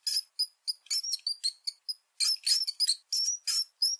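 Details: High, thin squeaks from a mouse, brief chirps at first, then longer, slightly wavering squeals packed close together toward the end.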